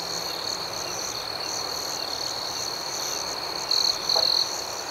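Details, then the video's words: Night crickets keep up a constant high trilling drone. Near the end, two loud chirp bursts come close together, one brief and one longer, over the steady chorus. "Soothing Cricket Sounds"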